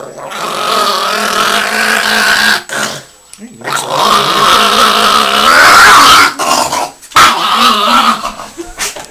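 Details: Pet Chihuahua Yoshi, angry after bath time, keeps up a drawn-out, throaty snarling growl that rises in intensity toward the middle. Short pauses break it up, and a human voice is heard alongside.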